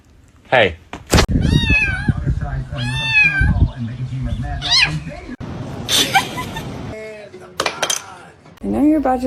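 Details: Pet cat meows repeatedly, each call rising then sliding down, several in quick succession, while a person talks and scolds, with a sharp thump early on and rustling noise midway.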